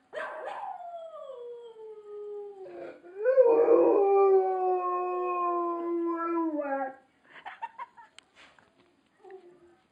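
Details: A Rottweiler watching a video howls along with it in a long, wavering howl that slides downward, then breaks off into short yips.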